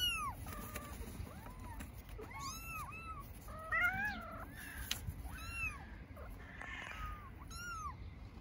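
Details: Stray baby kittens living on an Istanbul street meow for their mother: a steady run of short arched cries, several voices overlapping, some high and thin, others lower and drawn out, over a constant low traffic hum.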